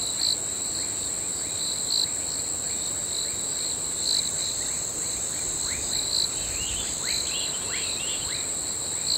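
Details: Nocturnal crickets sustain a dense, high-pitched trill, punctuated by regular louder chirps every couple of seconds and a run of quick falling chirps toward the end.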